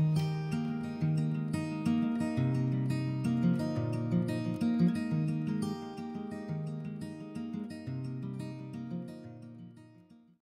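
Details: Gentle strummed acoustic guitar music plays throughout and fades out at the end, with no other sounds.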